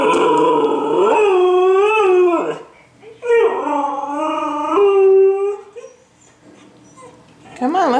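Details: Siberian husky female howling to go for a walk after two days without exercise; two long wavering howls separated by a short pause, then a third starting at the end, with a woman's voice in a small room.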